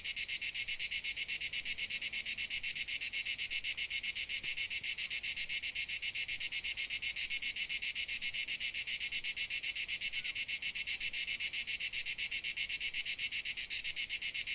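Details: Dalmatian crickets keep up a continuous high-pitched trilling of quick, regular pulses, a bright, sizzling chorus that never breaks, over a quiet, faint low background.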